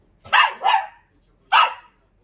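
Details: Pet Dachshund with short legs answering its owner in a back-and-forth exchange; a quick double bark followed after a pause by a third sharp bark, crisp and mid-pitched.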